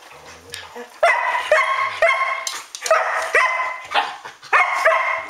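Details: Several Standard Poodles at home, ten past twelve at night, barking. After a quiet second, sharp ringing barks come in quick succession, five or six evenly spaced bursts, with a few human words in between.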